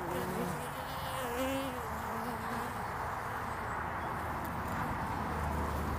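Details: Honeybees flying around the landing board of hive Furzeleigh L3 on 22 February 2019, in early spring. Their buzzing is a steady, dense hum, and several wavering, gliding tones rise and fall as bees pass close by.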